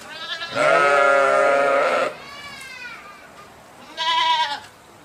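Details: A sheep gives a long, loud, even bleat of about one and a half seconds, then a faint trailing call, and after a pause a short, sharper bleat.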